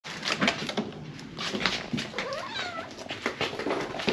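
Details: An Abyssinian cat gives short, bending meows among clicks and thumps in a small room, throwing a tantrum after its human came home late.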